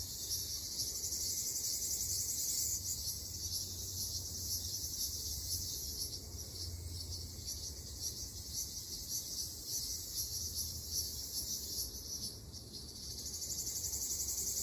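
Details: In an Okinawan forest in summer, Ryukyu large brown cicadas give a loud continuous sizzling drone, high and unbroken, with slight surges around the middle and end; low environmental rumble beneath.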